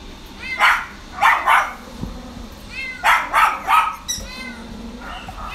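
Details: Chihuahua and Shih Tzu cross dog, father Chihuahua and mother Shih Tzu, in a pet shop, gives high-pitched, thin yelps and whines in quick bursts of two or three over a low background hum.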